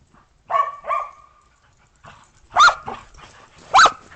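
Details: Dogs, Australian Shepherds and a Boston Terrier, playing outdoors in snow after a snowstorm on 15 December 2022 before breakfast: two quick yelping barks, a pause, then louder sharp barks spaced about a second apart.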